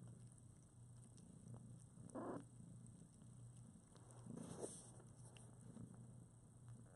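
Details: Newborn foster kittens, about two weeks old with eyes just opened, cuddle with their mother Priscilla; a low steady purring rumble runs throughout, broken by two brief louder squeaky bursts near the middle and end.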